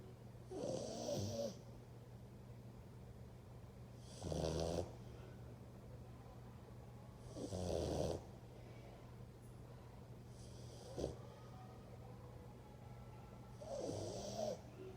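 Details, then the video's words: Sleeping dog snoring: five rough, broadband snores roughly every three seconds, each lasting under a second, separated by quiet breathing gaps over a steady low indoor hum. "Dog roncando"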